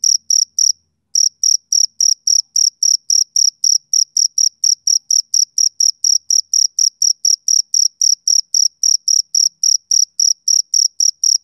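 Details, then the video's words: Summer-evening chirping of a male cricket. Sharp, piercing pulses stop briefly just before the first second, then resume as a fast, regular series of about four per second until the end, with a quiet background. "Cricket Chirping Sound Effect"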